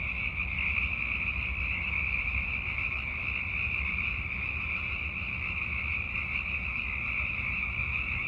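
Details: Hundreds of Sierran chorus frogs call in a massed night chorus, high rattling croaks overlapping into one continuous trilling wall of sound over a low rumble; they call like this in late winter and early spring to attract mates in darkness.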